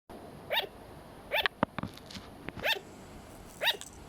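A sugar glider gives short, yapping barks, repeated about once a second.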